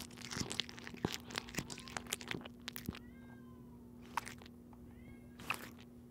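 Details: Kitten eating dried fish in crisp, crunchy bites. Sharp crunching clicks fill the first half, then a few short, thin meows rise and fall in quiet gaps. A faint steady hum runs underneath.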